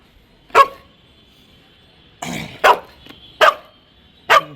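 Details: Pet Labrador Retriever demanding play with a cardboard toothpaste box indoors, giving four abrupt, forceful barks at irregular intervals of roughly one second, one followed by a short rasping scrape of the box.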